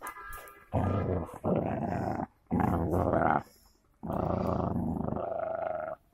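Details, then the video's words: Golden Labrador and cocker spaniel fighting, with loud rough growls in three long bursts of about a second and a half each, separated by short quiet gaps, indoors. "Golden labre with cocker spaniel fight"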